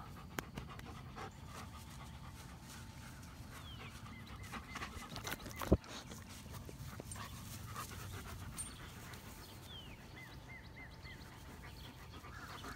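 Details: A dog panting steadily, each breath a soft, noisy rasp repeating quickly over a low background hum, with one sharp click near the middle.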